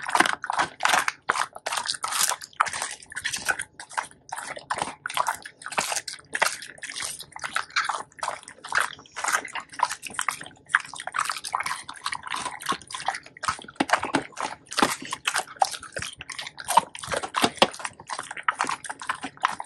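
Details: Labrador Retrievers Tico and Remi, two male pet dogs, one black and one yellow, eat a whole raw duck head. Dense wet crunching and biting runs continuously throughout, with sloshing, juicy bursts and no pauses.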